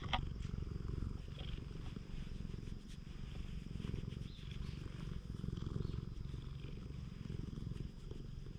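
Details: Purring from a stray community cat being stroked on a Japanese cat island: steady low vibrating rumble swelling and easing in breath cycles, a brief click at the start and faint handling sounds.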